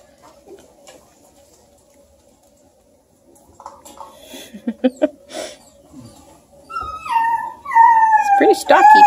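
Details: Bluetick Coonhound puppies playing with their Redbone buddy Luke near Kingston, Ontario, Canada: soft scuffling and short yelps, then high, descending whimpering whines that grow louder toward the end, with a woman talking softly.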